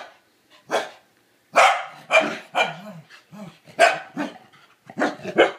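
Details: Corgi named Kevin Bacon indoors in a small room, reacting with hatred to a toilet bowl brush: sharp, broadband barks in uneven bursts, some with a low growly tail, separated by brief pauses; a person speaks before the barking.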